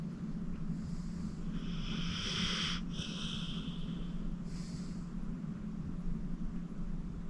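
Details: Senior pit bull Acorn, 14 years old, rescued from a county animal shelter, sleeping deeply: one long airy, hissing snore followed by a shorter breath, quiet against a constant low background hum.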